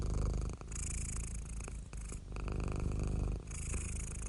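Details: A cat purrs continuously in a low, dense, throbbing drone, broken by brief dips at each breath change roughly every one to one and a half seconds, recorded very close.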